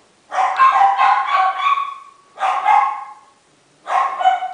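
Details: Miniature Schnauzer puppies, 28 days old, in Shizuoka, Japan, salt-and-pepper male litter from a breeder: high, drawn-out whining yaps in three bursts, the first long and wavering, then two shorter ones after clear pauses.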